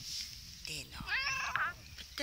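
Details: Russian Blue cat, male, on antibiotics and possibly in pain, described as grumpy and annoyed: a short drawn-out meow with stacked harmonics, overlapped by a woman's affectionate coaxing speech.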